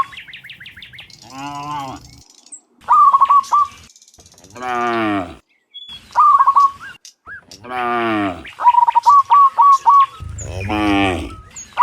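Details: A herd of cows heading back from the field to their pen in the morning, giving drawn-out, low, groaning moos that alternate with quick, high, repeated bird twitters, plus softer chirping at the start.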